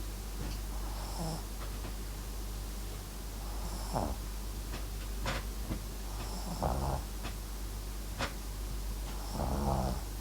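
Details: MAX, a Papillon-Japanese Chin mix dog, snoring while asleep: four low, raspy, rattling breaths come roughly every two to three seconds, with faint clicks and soft room hiss between them.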